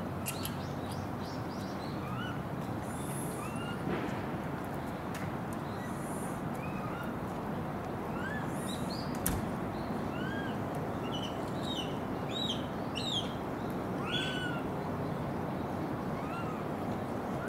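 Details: Japanese macaques at Takasakiyama Natural Zoo, Oita, Japan, in November 2019, a troop centred on a dominant male, give short, arched, tonal calls from many directions over a steady rumbling background.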